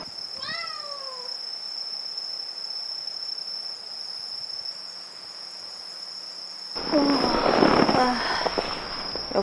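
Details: Tuxedo cat meowing loudly at dusk near a hilltop island campsite on Gwallido, Gunsan; one drawn-out falling meow near the start over a steady high grasshopper buzz, followed by a person talking.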